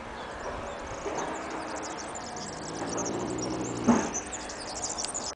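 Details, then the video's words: Annibale, a Neapolitan Mastiff, snoring heavily while asleep in Capaccio, province of Salerno; breathy, rasping snores swell near the first second and again around three to four seconds over a steady background hiss. "Annibale the neapolitan mastiff snore"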